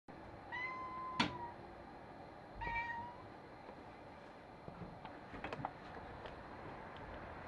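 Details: Visiting tabby cat making thin, high, mosquito-like meows: two drawn-out, level cries about one and a half seconds apart, quiet over low room noise, followed by faint clicks and rustling.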